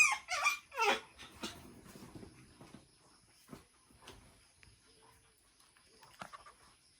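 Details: Shih Tzu x Pomeranian named Beauty meeting another dog, Adonis, for the first time; a quick run of high, squeaky yips and whines fills the opening two seconds, then trails into scattered quieter sounds and soft rustling.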